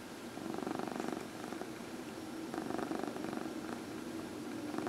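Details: Fourteen-year-old adopted female domestic cat purring during an early evening massage on a lap indoors, a steady rapid rumbling purr throughout with faint quiet room noise.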